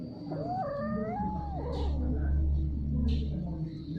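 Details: Mating domestic cats giving a wavering, rising yowl lasting about a second, with a higher overtone climbing alongside, followed by soft scuffing sounds and constant low background hum.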